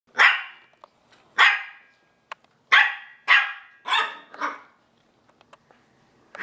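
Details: Havanese puppies in Wisconsin; about six short, bright barks spaced roughly a second apart, each with a quick falling tail, then quiet with faint clicks.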